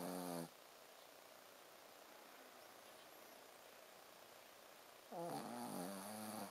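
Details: Sleeping Shih Tzu Ponzu snores with a 'buu, buu' sound: a snore tail at the start, then quiet breathing for several seconds, followed by a longer wavering nasal buzz with a hissy edge.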